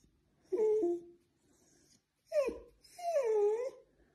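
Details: Pet Dachshund indoors giving a high, tonal whine that wavers and falls, then after a pause two more drawn-out whimpers, the last long and sliding downward, in a quiet small room.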